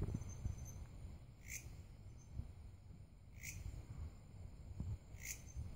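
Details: Belalang kerek grasshopper giving short, sharp buzzy chirps, each repeated about every two seconds, over a low rumbling background and a steady high insect hum.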